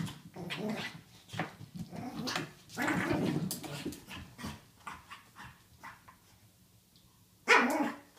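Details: Pug playing wildly with its toy in a small room, rough growling grunts and short barks in uneven bursts, then a sudden loud sharp outburst just before the end.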